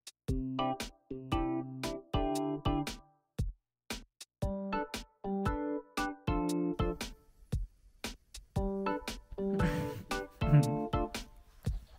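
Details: Bouncy electronic music with piano-like chords and drum-machine beats in short bursts separated by gaps; no animal voice.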